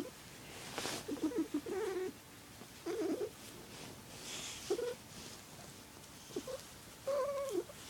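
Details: Squirrel, a male house cat, purrs in his odd warbling way for the one family member he performs for. Quick wavering trills come in clusters, with a longer run early on and a bright rising warble near the end. The room is quiet.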